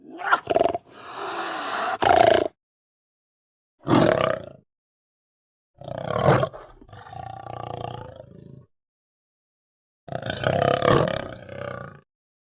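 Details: Mountain lion giving loud, harsh, rough roaring calls in separate bursts of about half a second to two seconds each, some with a drawn-out grating tail, separated by short silences.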